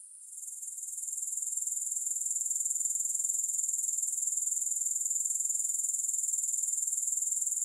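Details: Grasshopper sounds free of music: a high, thin trill fades in over the first second, then holds steady as a fast, regular, shimmering buzz to the close.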